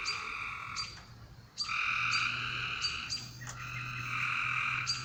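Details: Frogs calling at night: rasping trills, each about a second long, follow one another in quick succession. A low steady hum runs underneath.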